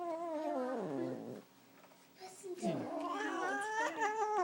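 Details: Pet cat, female, growling at the owner's father as he holds her: wavering moaning yowls that sag in pitch, a brief gap, then a rising, louder yowl that climbs and holds, with faint voices indoors.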